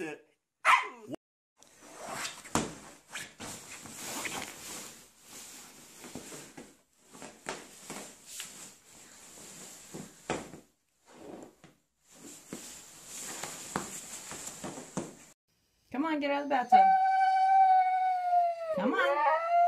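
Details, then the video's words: Siberian Husky 'talking' indoors: a brief yelp opens, then long stretches of scratchy, rustling noise, before a loud, sustained, steady howl-like vocalisation with a wavering end fills the final few seconds. "Funny Husky Videos Talking"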